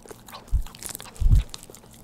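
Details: Pet dog at home eating churu treats, recorded close up for ASMR without talking; two soft, low, wet chewing thumps about a second apart, with faint crisp clicks and lip smacks between them in an otherwise quiet room.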